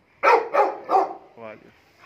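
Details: XXL American Bully named Sheru giving three loud, deep barks in quick succession, followed by a softer, shorter vocal sound.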